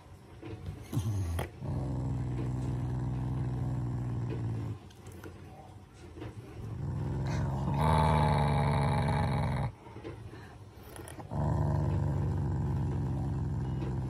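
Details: Pet Shiba Inu growling at its owners as a family member's show of affection, not anger: long, low, continuous rumbling growls in sustained bouts of several seconds, separated by brief pauses.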